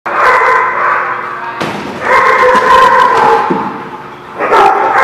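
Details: Dog barking at The Barking Lot, recorded 14 October 2017. Loud, harmonic barks run together almost without pause, with sharp, forceful onsets at the start, midway and near the end.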